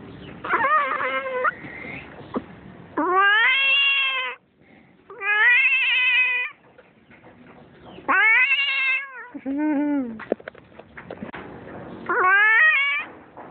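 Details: Domestic cat giving birth at home, making strange sounds: loud drawn-out yowls with rising then falling pitch, each about a second long, interspersed with shorter meows and quiet shuffling between calls.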